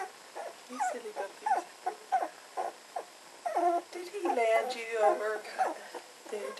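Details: Red standard poodle puppies, 18 days old, tussling in one of their first rounds of play. They make squeaky, wavering whines and short yelps in quick bursts, several voices overlapping, with the cries growing denser toward the end.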